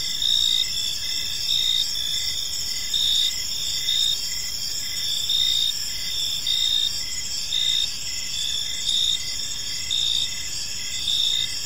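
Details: Evening in a quiet park, with crickets giving gentle chirping: a high, steady trilling chorus of several callers, one pulsing in brief bursts roughly every second, over faint low environmental noise.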